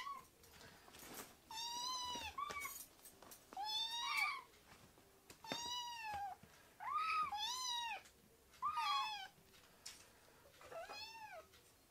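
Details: Rescued baby kittens in foster care meowing in a quiet room: about seven clear, high arched mews, each under a second, spaced one to two seconds apart, with faint clicks between.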